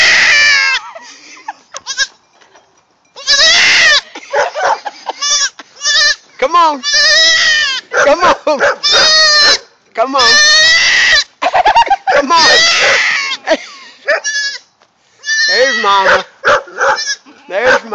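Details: Newborn goat kid about four hours old, unhappy and calling for its mother: a rapid run of loud, wavering, nasal bleats, some long and quavering, some short, with brief pauses and a person's coaxing voice in between.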